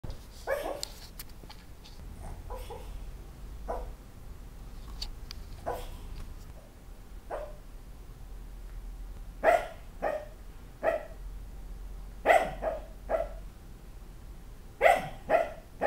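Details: A sleeping dog talking in its sleep while dreaming; soft, muffled little woofs and yips come in irregular clusters, some doubled, with quiet rustling between.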